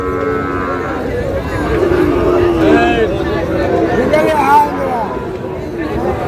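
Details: Sahiwal bull calves on sale at a crowded cattle market in Chattogram, Bangladesh, on 18 May: a short level lowing call opens, then a brief rising bellow follows, all under dense human talk and market hubbub.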